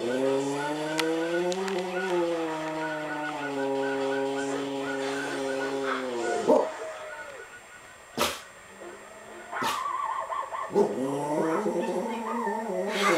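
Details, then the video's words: Pet dog trying to howl: long, steady, tonal howls with a rich stack of harmonics, slowly wavering in pitch for about six seconds, then a pause with a few sharp knocks before a shorter howl resumes. "My dog Ruff tries to howl"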